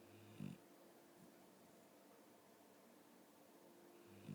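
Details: Pet dog asleep and snoring indoors, a short low rasping snore near the start and another beginning at the end, quiet room hum between.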